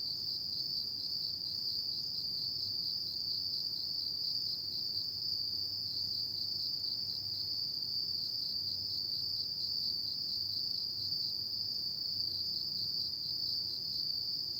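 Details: On an autumn night, insects sing a continuous high, pulsing trill that never breaks, layered with faint higher bands and a muted low background drone.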